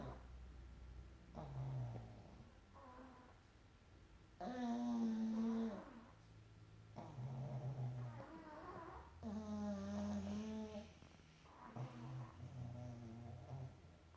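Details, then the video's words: Pug asleep next to a snoring Chihuahua: long, loud, grating snore breaths with a whistling, nasal edge, alternating with softer gurgling exhales, about one cycle every two to three seconds. "pug and Chihuahua snoring"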